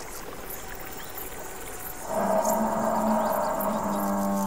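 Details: Buffalo in its natural savannah habitat, heard in the wild: after a quiet stretch of faint ambient hiss, a loud, sustained, humming moo begins and holds steady for over two seconds.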